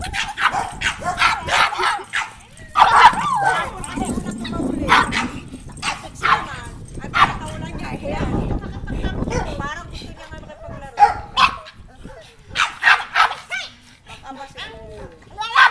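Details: Black pug barking wildly and making strange noises after meeting an unfamiliar dog; sharp, harsh barks come in rapid bursts, some doubled, across the whole recording, with human voices talking in between.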